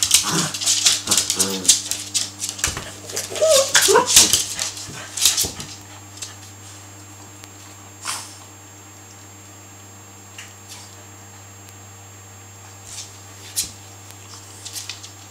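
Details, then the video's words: Harvey and Sam, two Cavalier King Charles Spaniels, play fighting in a harmless hour-long tussle; brief growly whines and yips over rough scuffling fill the first five seconds, then it falls nearly quiet with a few soft rustles. "Harvey and Sam, Cavalier King Charles Spaniels play fighitng"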